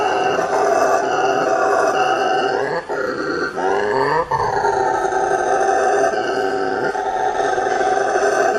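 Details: Howler monkeys roar in a dense, steady chorus of rasping, harmonic howls that hold loud for most of the stretch, with one deep dipping and rising swoop near the fourth second.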